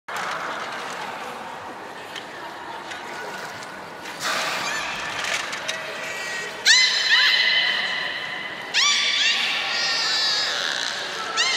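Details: Beluga at the Port of Nagoya Public Aquarium, recorded 16 March 2019 during feeding on fish and the play time after: a series of bright harmonic whistles, some rising then flat, in loud bursts over a murmur of visitors' voices.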